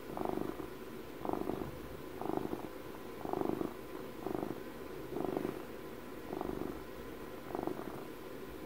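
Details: Twelve-year-old domestic cat purring up close for ASMR, rhythmic low vibrating rumble in eight distinct pulses, nearly one per second, softer gaps between breaths, calm indoor setting.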